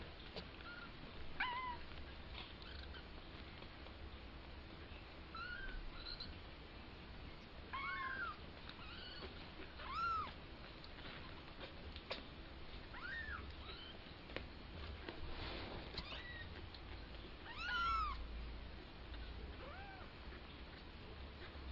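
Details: Two-week-old kitten learning to walk gives thin, high, arched mews, singly or in short pairs, roughly every two to three seconds, over a quiet background with soft handling thumps and clicks.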